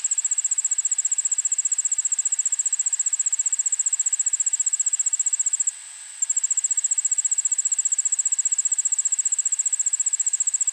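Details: An Allard's ground cricket sings in a suburban backyard in Montoursville, PA, on August 9, 2016, at 1pm. Its thin, high-pitched trill of fast, even pulses pauses about half a second midway, then resumes unchanged over faint hiss.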